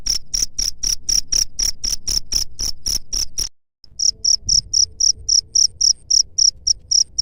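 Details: Rapid cricket chirps, played to repel rat pests, ring out as bright high pulses about four per second, broken by a brief silence near the middle before the same even rhythm returns over a soft low hum.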